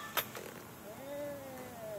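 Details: Gilligan, a vocal pet cat angry at riding in the car on the way to the vet, gives a drawn-out wavering meow that rises then falls over about a second, after a brief click and quiet car interior noise.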